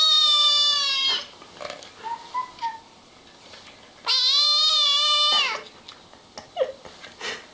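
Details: Kittens meowing and talking, giving two long, high, wavering meows about three seconds apart, with soft faint mews and small noises in between.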